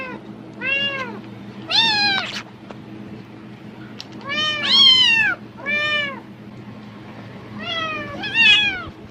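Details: Housecat meowing eagerly when it hears plastic bags rustle, seeming to expect food; short bursts of arched, harmonic meows come in uneven clusters, some doubled and quavering, with quiet gaps and a low background hum.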